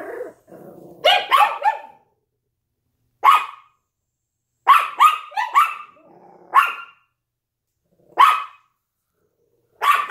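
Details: A Yorkshire Terrier and a Lhasa Apso bark at a window indoors: a low grumble opens into bursts of two or three shrill, clipped barks separated by pauses of a second or more, with a brief growl between.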